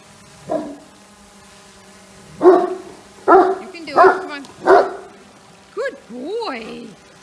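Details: Young Great Dane reacting to a flying drone, giving a quick run of five sharp, tonal barks, then rising-and-falling yelping whines at the end, with a constant low droning hum beneath.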